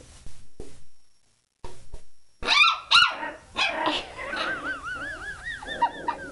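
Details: Frightened puppy being coaxed toward a plunger in a kitchen gives sharp yips followed by a run of wavering, arching whimpers, with a woman's coaxing voice early on.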